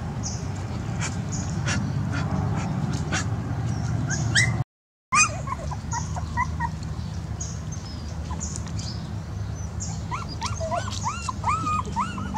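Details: Dogs whimpering: thin, rising-and-falling whines repeat in quick succession toward the end, over a steady low hum and rumbling background noise, with a brief drop to silence partway through.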